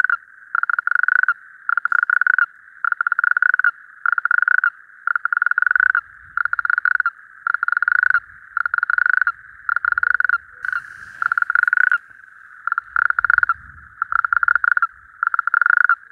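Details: A calling male natterjack toad (Epidalea calamita), excited at a breeding area of temporary rain-formed water one evening, gives its loud, rattling trill in long, evenly spaced bursts about one second apart.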